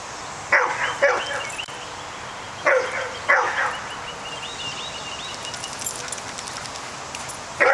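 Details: Outdoor standoff between a pet dog and a groundhog that is winning: sharp barks in pairs, two near the start and two more around three seconds, another at the end, with chirping birds between.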